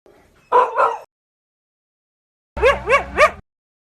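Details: Dog barking aggressively: a quick double bark, a pause, then three rapid rising yelping barks over a low hum.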